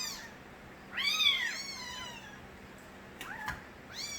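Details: One of the stray cat Nabi's kittens gives a loud, arching meow that climbs and falls. It is followed by a faint chirp and a brief knock, then the start of another meow.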